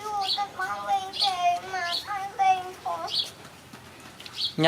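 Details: Playing puppies whimper in a string of short tonal whines, wavering and dipping in pitch, repeated roughly every half second, with a person speaking softly in the background.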